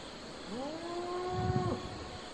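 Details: Domestic cattle on a farm, one animal mooing: a single harmonic call that rises quickly, holds a level drawn-out tone for about a second, then drops sharply at the end. A steady high insect-like hum continues in the background.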